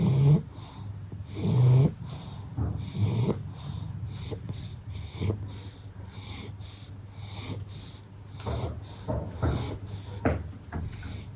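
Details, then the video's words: A pug asleep after going overboard with playtime snores in deep rasping pulls, about every one and a half seconds, with snorting wheezes between, indoors and otherwise quiet. "SLEEPY PUGS ARE CUTE - pug naps, snores, snorts, tired eyes, dreaming"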